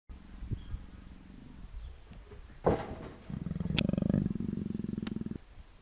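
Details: Persian leopard nuzzling affectionately, giving low, rumbling pulsed purrs in two bursts, a short one at the start and a longer, louder one near the end, with a brief soft rustle between.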